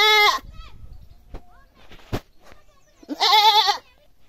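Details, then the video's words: Goat screaming: a loud strained bleat cut off at the start, softer fainter tones in the middle, then another harsh wavering cry near the end. "Goat screaming loudly"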